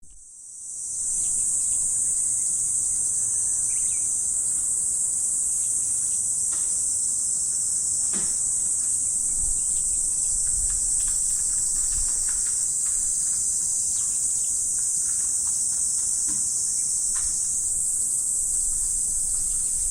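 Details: Insects on an autumn morning: a dense, unbroken high shrill hiss that fades in over the first second, then holds steady at one loudness, with faint scattered clicks underneath.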